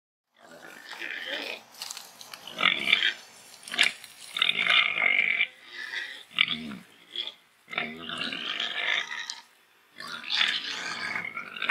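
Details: Massive free-range Gloucestershire Old Spots pig grunting while rooting in mud outdoors among trees; a run of nasal, harsh grunts and snorts, each lasting around a second, in close succession with brief pauses between.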